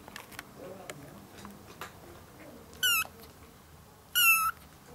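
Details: Two high, short meows from one-month-old ginger kittens with their young mother cat, a former stray, indoors; each meow is bright and slightly falling, about a second apart, over a quiet room.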